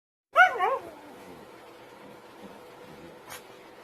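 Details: Siberian husky puppy acting mad: one short, wavering, yowling whine at the start, then low steady room noise with a faint click near the end.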